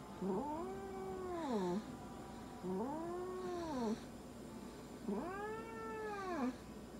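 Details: Munchkin cat being examined and having blood drawn at a veterinary clinic, making three long arched complaining meows, each rising and falling over about a second and a half, with faint handling sounds.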